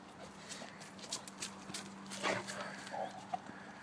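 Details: Tosa Inu named Szogun panting while playing ball: quick, breathy, noisy bursts come in an uneven run. Sharper knocks and a short squeak are heard near the end over a steady low hum.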